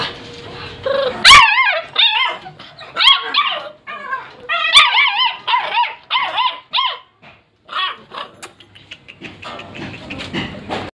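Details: American Bully puppies give a busy run of high, wavering yelps and squeaky whines in irregular bursts, many short pitch-bending notes, with gaps of quiet and some rustling toward the end.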